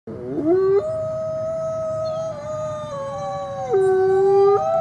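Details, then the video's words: Coyotes howling together: several steady, overlapping tones that hold level, then step abruptly up or down in pitch, forming an unbroken chorus with a faint low background hiss. "Beautiful Coyote sounds"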